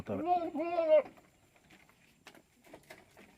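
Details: Two higher-pitched, tremulous bleats from Tellicherry goats on a farm, close together in the first second. Faint clicks and knocks follow.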